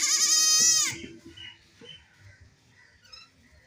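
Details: Playing baby goat with a single loud, shaky, high-pitched bleat lasting about one second, then faint rustles and quiet background sounds.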